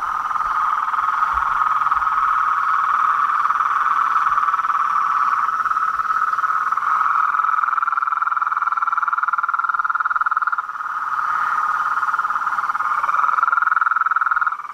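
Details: Frogs, toads and treefrogs chorusing together: a dense, continuous buzzing trill that holds steady at one mid-range pitch for the whole stretch, with a brief dip in loudness near the end and fainter higher overtones above.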